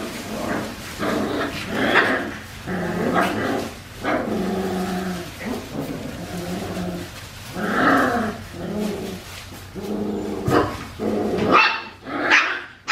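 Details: Four-week-old Australian Shepherd puppies at Fifteen Acre Farms on a baby cam, a steady run of harmonic whines and low growly yelps repeating about once a second, with a brief sharp yip near the end.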